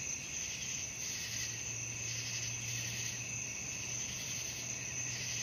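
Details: Nighttime crickets for falling asleep: unbroken shrill trilling high up with gentle rhythmic surges, plus a low steady hum running through most of the stretch.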